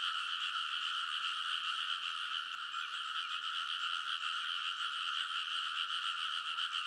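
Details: Massed frogs in a rice paddy at midnight, early summer, Kōnosu, Saitama, Japan, recorded with a TASCAM Portacapture X8: a steady roaring chorus of fast, overlapping croaks, unchanging in loudness, with a faint click near the start.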